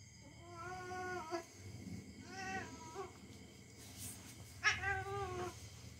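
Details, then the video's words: Pet cat growling and yowling during rough play with a young household dog; three long, level, harmonic-rich moans separated by short pauses, the last rising sharply at its start, over a low hum. "Our young dog and our cats are fighting each other. Just for fun."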